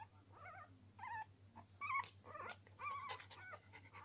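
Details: Norwich Terrier puppies making high, wavering whimpers and squeaks in short bursts, with a steady low electrical hum underneath.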